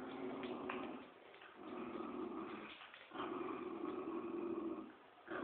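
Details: A Poodle and a Dobermann growl in long, rumbling bursts with brief pauses while playing tug of war.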